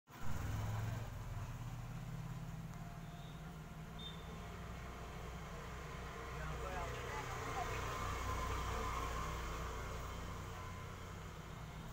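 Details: Steady low engine rumble and traffic noise with indistinct voices, and no clear animal call.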